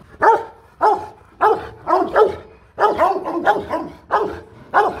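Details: Powerful barking from Rottweiler guard dogs kept at a Vietnamese kennel: loud, gruff single and doubled barks repeated roughly every half second to second, steady and forceful throughout.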